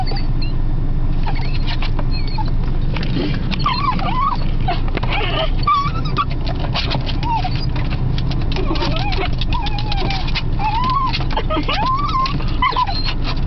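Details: Pet female Beagle, excited to see her owners return after a whole day apart, gives repeated high whimpers and short squeals, with a constant low rumble underneath and a brief voice.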